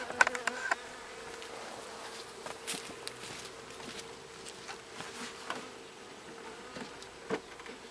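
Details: Agitated Western honey bees, a freshly moved colony settling into its new hive box on a Pacific Northwest mountain homestead; continuous droning hum, fairly even in pitch, overlaid with scattered small clicks and knocks throughout.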